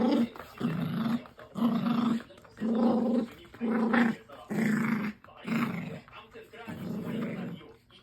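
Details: Puppy playing tug making a strange growling sound: rough, throaty growls in bursts of about a second each, repeated roughly once a second with short quiet gaps between.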